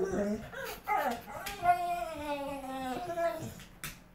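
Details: Azula, a pit bull, reacts to a dog heard outside with a long, drawn-out harmonic whine that sags slightly in pitch over about two seconds, with a person talking before and after.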